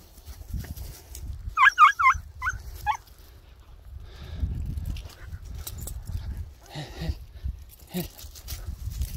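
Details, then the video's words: Greek Harehound hunting hare in Cyprus: a quick burst of about six high, tonal, upward-bending yelps over roughly a second and a half, then quieter rustling, footsteps and faint distant voices. "Κυνήγι Λαγού.Hare hunting.Greek Harehound"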